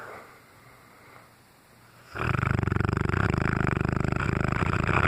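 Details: Brutus, a Cane Corso, sleeps and snores loudly indoors: after two seconds of quiet, a deep, steady rattling snore begins and continues without a break, pulsing in rapid regular waves to the end.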